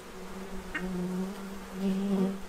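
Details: A bee hovering near a feeding tray in Central Illinois, stocking up for winter: a clear, low, even buzz that slides slightly upward as it draws closer, with one faint click.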